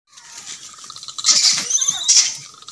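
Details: Monkeys, tagged as langurs, shriek in shrill, scratchy squeals and chatter as they fight angrily.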